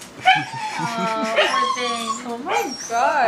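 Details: Excited dog freaking out for a balloon indoors, giving continuous high whines and short yelps that rise and fall, nearly unbroken across the moment, while a person talks to it.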